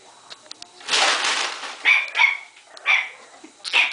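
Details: A Boston Terrier afraid of bags gives short, high yelping barks, with crinkling plastic rustling beforehand.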